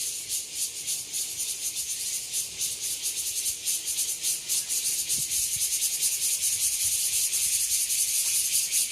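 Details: An evening chorus of cicadas in Nangang Park, Taipei, Taiwan: a dense, high, hissing drone pulsing in steady waves.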